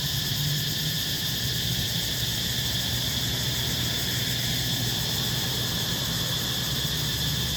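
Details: Cicadas in Siem Reap, Cambodia, making their buzzing sound heard once a year: a steady, unbroken, high-pitched drone over a low background rumble.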